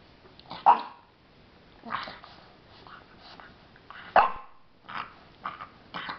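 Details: Marla, a 16-week-old French Bulldog puppy discovering mice indoors, gives sharp, high barks mixed with whiny yelps, spaced one to two seconds apart and coming in uneven bursts across the recording.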